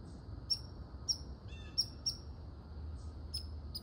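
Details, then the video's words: A red squirrel barks in short, piercing chucks, about one every half second with gaps, and a brief softer chattering note between them; quiet low hum behind. "Red squirrel barking calling"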